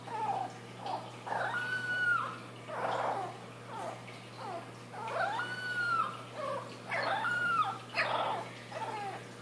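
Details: Boston Terrier puppy Wynonna, a female from a June 4th, 2013 litter, finding her voice indoors: a series of high, wavering howls and whines, several with a drawn-out level tone, rising and falling repeatedly in a small room.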